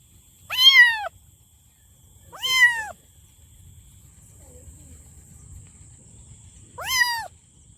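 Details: Loud kitten meows: three sharp, bright calls arching up then down, the first two close together and the last after a pause of about four seconds, with a quiet low rumble and a thin high tone behind.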